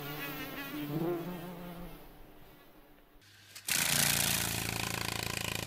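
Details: A May beetle's low, wavering wing buzz in a forest, swelling and fading as it flies past.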